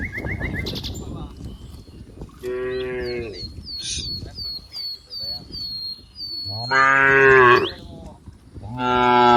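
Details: Herd of cows playing in green rice fields, giving several loud, rich harmonic moos, some long and rising, with a bird's repeated descending chirps in the background.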